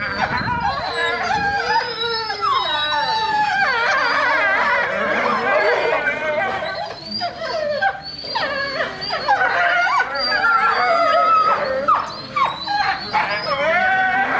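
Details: A pack of Eurasian wolves at Tama Zoological Park howls together in overlapping, sliding tones that rise and fall.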